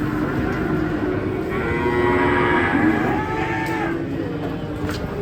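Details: Cattle giving a long, wavering low moo with a rising and falling tone, amid crowd noise and background hum.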